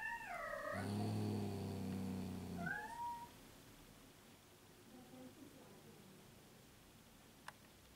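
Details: Fifteen-year-old female cat Lucy, recorded shortly before her death. Opens with a loud falling meow, then a low steady droning sound for about two seconds, then a short rising meow. Quieter faint calls follow, with one sharp click near the end.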